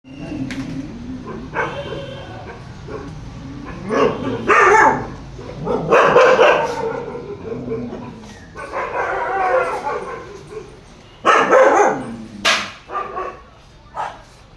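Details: Caravan Hound dog giving a series of harmonic barks and yelps in uneven bursts, some drawn out, with a voice possibly heard in the background.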